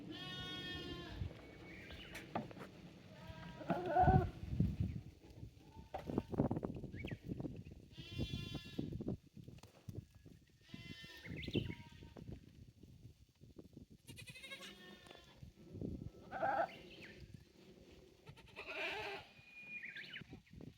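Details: Several goats on a handmade Japanese goat farm, 9 May 2024, at their new playground of aerial walkway, balance beam and narrow slope; repeated harmonic, quavering bleats every few seconds from different animals, with hoof clatter and knocks between.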